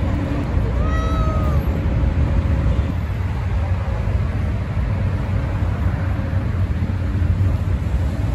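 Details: One brief meow from a stray cat, slightly rising then falling, near the start, followed by several seconds of only low, steady rumbling outdoor background noise.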